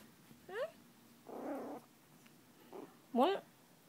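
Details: Young poodle puppy making two brief rising-falling whines, the second louder, with a soft human voice murmuring between them indoors.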